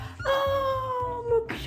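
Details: A cat gives one long, steady, drawn-out meow lasting just over a second that slowly sinks in pitch, set over a thumping music beat with a brief noisy burst at the end.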